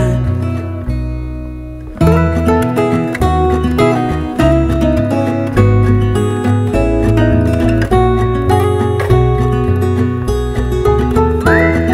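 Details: Strummed acoustic guitar music plays throughout, with no animal sound present.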